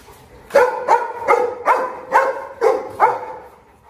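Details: Lame Presa Canario barking hard, six deep, evenly spaced barks roughly every half second, clean and dominant over a quiet background.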